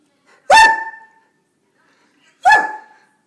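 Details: Hungry Borzoi, or Russian Wolfhound, barking indoors to demand a snack during its nightly feeding routine; two loud, sharp harmonic barks about two seconds apart, quiet in between.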